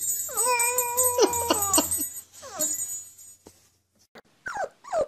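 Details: Puppy learning to howl holds a clear, level howl for about two seconds over a high electronic whine, then trails off into short whimpers and yips.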